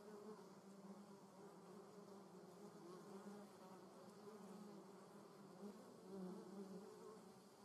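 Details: German wasps buzzing in a garden in the Eifel region of Germany; a steady low hum with layered droning tones, swelling briefly near the end as an insect passes close.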